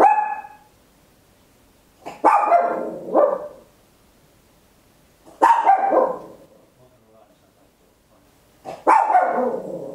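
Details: Papillon, a tiny dog, barking at home on an Olympus LS-11 stereo recorder: loud barks, some in quick doubled pairs, recurring roughly every three seconds, with a short tonal whine-like sound at the very start.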